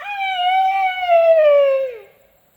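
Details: Asian elephant Sido Ham calling to beg for food, a habit it always shows: one loud, ringing, tonal squeal lasting about two seconds. The squeal holds steady, slides slightly lower, then fades quickly into silence.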